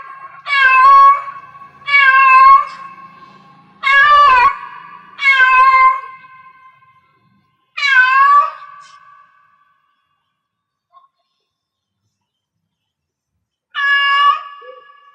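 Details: Cat in heat calling with a run of loud, harmonic meows, several in quick succession roughly every one and a half seconds, then a longer silence before one final meow near the end.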